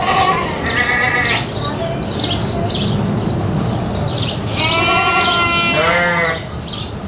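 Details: Farm goat with a brief bleat at the start, a noisy gap, then a loud, long tremulous bleat that rises and falls, ending in a rough, fading cry.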